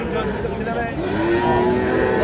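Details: Cattle at a market near Pabna, Bangladesh, on 12 May 2025, where small Sahiwal bull and heifer calves are traded; one loud, steady, droning moo rising slightly in pitch, over a dense crowd background.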